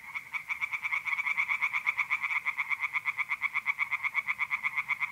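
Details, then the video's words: Singing tree frogs at night in mid-April in north-east Italy, heard as a steady run of fast, evenly spaced, grating croaks, nearly three a second, with many frogs calling together. "relaxing singing tree frogs in pond and trilling mole crickets by night"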